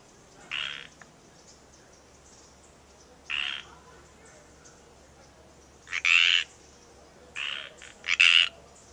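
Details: Frogs calling in the wild at Natural Bridges State Park in Santa Cruz, California: loud raspy croaks, single and in quick doubles, separated by pauses of up to three seconds.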